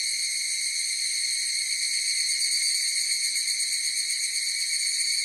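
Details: Evening cicadas, known as higurashi, singing together outdoors; a dense unbroken shrill drone with a rapid tremolo, holding steady in loudness for the whole stretch, with nothing else audible.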